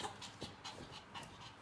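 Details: Brief burst of a Yorkshire Terrier in heat panting, soft airy puffs repeated roughly every quarter second, low in volume.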